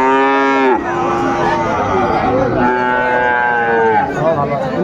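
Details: At a busy cattle haat in Khulna, Bangladesh, where Friesian bull calves are sold on 25 September 2024, two long harmonic moos sound, the first ending with a sharp downward break, the second fading out, amid crowd talk.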